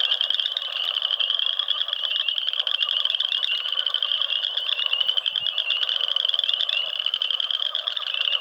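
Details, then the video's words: A frog chorus of countless overlapping rapid high trills forms a constant buzzing drone throughout, with faint low knocks around the fifth second. "Frog Sounds"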